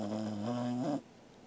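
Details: Sleeping Welsh Corgi Angela gives one snore, recorded 13 August 2021. It is a steady, low, buzzing tone lasting about a second that steps slightly higher near the end before cutting off into quiet.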